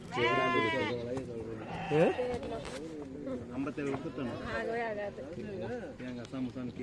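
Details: Goat at the Friday market in Morppalayam, bleating once loudly with a wavering, quavering tone at the start, then fainter bleats among the busy chatter of bargaining traders and crowd noise.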